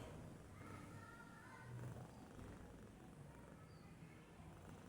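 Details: Sleeping domestic cat resting idle, its quiet snore a low continuous rumble with gentle rises in loudness, faint background hiss throughout.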